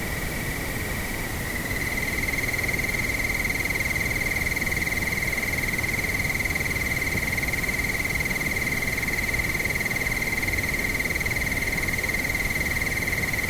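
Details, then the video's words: Cricket chorus at nightfall on a windy evening: continuous high, evenly pulsed chirping with a brief shift in tone near the start, set against steady wind noise. "Nightfall Long Cricket Windy Ambience"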